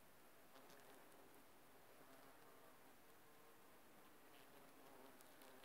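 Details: Steady low hum of bumblebees foraging on aconite blossoms, a continuous buzz with stacked tones that never breaks, set against a strong hissing background.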